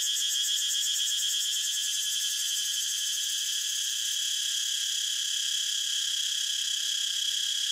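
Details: Cicada singing a sustained, piercing electric buzz, its top register fluttering with quick pulses early on before smoothing into a constant hum; no other sounds.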